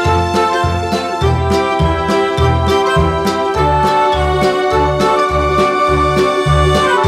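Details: Keyboard music with a steady pulsing bass and bright sustained chords plays throughout, with no animal voice. Nothing else is heard.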